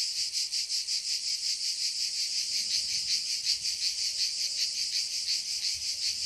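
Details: Cicadas in a forest produce an intense high-pitched rattling drone, beating in rapid even pulses, with a few faint short whistled tones underneath.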